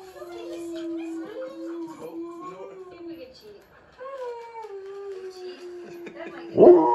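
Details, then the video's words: Husky that normally never howls, drawn to howl at talking dogs on a screen: a quiet, long, flat, steady tone with small inflections, followed by a sudden loud noise at the end. "Husky Howls to the Talking Dogs on YouTube"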